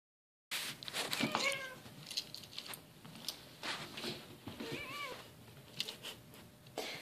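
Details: Female pet cat meowing for attention when she feels ignored; two short wavering meows, one early and one near the end, over soft rustling and handling noises.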